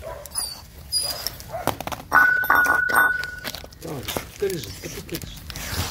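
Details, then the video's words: Dog chewing offal, a food new to it, instead of porridge; quick loose smacks and licks at an uneven pace, with a louder sloppy stretch around two seconds and a thin constant whine-like tone in the background. "dog eating offal | Eating Sounds"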